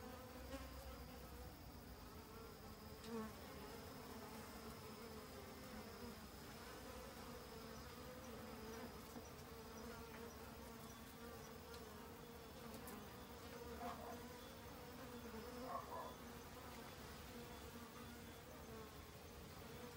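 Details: Busy honey bees foraging in autumn to gather food for overwintering; a constant low buzzing drone fills the recording, steady in pitch, with brief faint tonal blips in the second half.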